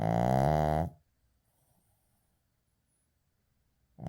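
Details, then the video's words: Sleeping Shih Tzu named Uijung gives one long, droning harmonic snore lasting about a second, then near silence, with the next snore just starting at the end. "시츄 코골이"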